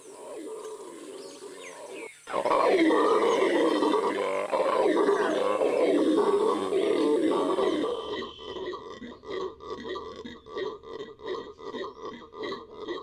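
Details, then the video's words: Venezuelan red howler monkey giving a deep, rough roaring howl that starts abruptly and holds steady and loud for about six seconds, then breaks into a series of rhythmic throaty grunting pulses, several per second, with a faint high hiss above. "Howler Monkey, the loudest sound in the Amazon"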